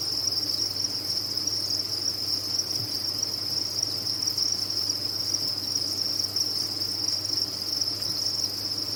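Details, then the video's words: A crowded cricket farm: countless crickets chirping at once, merging into one continuous shrill buzzing tone with a quiet low drone beneath. "Sound of a Cricket Farm"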